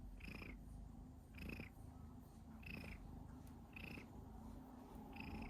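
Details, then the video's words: Domestic cat coughing while purring, a continuous low purr with five evenly spaced short raspy bursts, about one every second, each with a brief higher catch. "Cat cough when purring"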